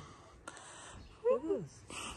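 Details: Street cat in Morocco, a big-nosed stray harassed by Ginger the cat, lets out one loud arched meow that rises then falls over about half a second; a person talks softly nearby and a brief click comes before it.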